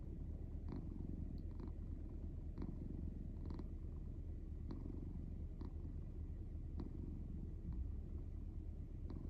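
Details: Domestic cat sound asleep, snoring: a continuous low rumbling purr-like drone with short faint clicks every second or so, steady throughout.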